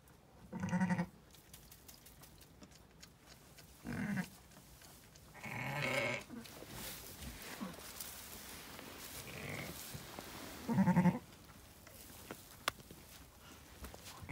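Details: Zwartbles ewe lambing on a regenerative farm in County Kilkenny, Ireland, her first lamb, two ram lambs in all; several short harmonic bleats at about 1, 4, 6 and 11 seconds, with quiet rustling between.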